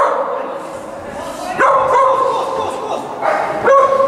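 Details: Yorkshire Terrier Aiša at an agility event in Prestranek on 22 January 2017, giving two sharp, high yapping barks about two seconds apart over steady indoor chatter and voices.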